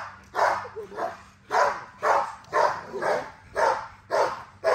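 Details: XL American Bully female, full of drive while exercised, barking in rapid uneven bursts of about two per second, loud and harsh, with a low background hum.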